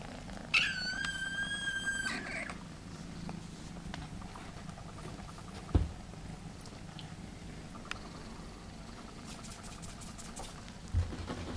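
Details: A friendly, camera-shy male Egyptian Mau kitten, from a litter born 4 November 2015, gives a single high, thin meow over a low, steady purring rumble.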